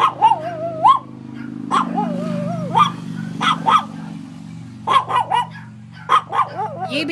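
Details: Excited dog giving warbling, wavering howls broken up by sharp, explosive yips and barks in quick clusters, over a continuous low droning background hum.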